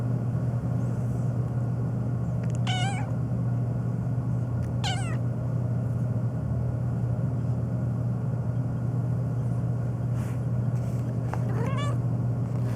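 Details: A black pet cat on a long meowing rant, reacting to sneezing; three separate drawn-out, wavering meows spaced several seconds apart, the last one rising, against a constant low droning hum.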